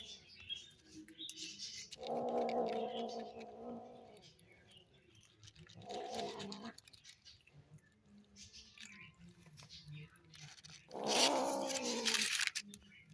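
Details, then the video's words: Kittens feeding hungrily let out long, buzzy, harmonic growls, three bursts of about one to two seconds, the last the loudest, with eating clicks and rustling between them. "Hungry kittens make noises when they eat"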